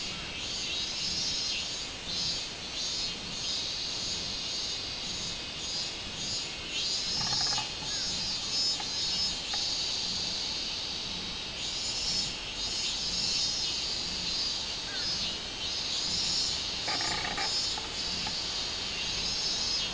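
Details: On 24 July 2016 a robust cicada chorus forms a continuous piercing buzz with rapid rhythmic surges, broken by two brief rasping bursts near seconds seven and seventeen.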